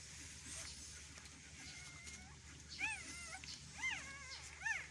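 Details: Whimpers during a Belgian Malinois birth: three short arched cries, each rising then falling, spaced about a second apart near the end, following quiet faint tones and a low background hum.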